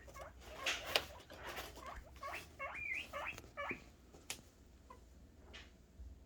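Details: Happy noises from guinea pig boars expecting food: a quick series of rising, squeaky whistled notes across about two seconds, with rustling and a few clicks before and after.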